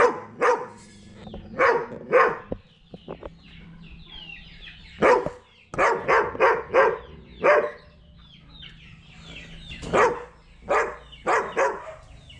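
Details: A German Shepherd barks loudly, as if to scare someone facing it; bursts of deep barks in clusters of two to four, separated by short pauses, with a person's voice faintly audible between them.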